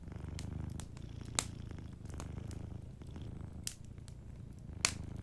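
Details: Sleeping cat purring softly by a fireplace: a low, rumbling, pulsing drone that swells and eases with each breath, while sharp crackles and pops from the fire break in, two of them loud.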